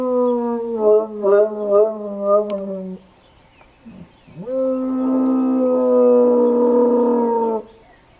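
A Bloodhound howls in two long, mournful notes, the first wavering, the second held steady.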